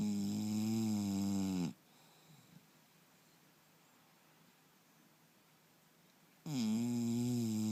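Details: Turbo, an English Bulldog, snoring in his sleep at home: a rasping snore fades out, a long quiet breathing pause of almost five seconds follows, then another loud, throaty snore begins.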